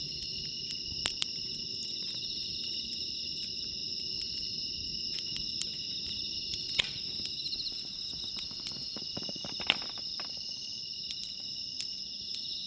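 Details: Night chorus of bell crickets near a campfire at JUTE CAMP FIELD, temperature 23°C; unbroken high ringing trill continues under intermittent loud wood pops and brief crackling bursts from the fire.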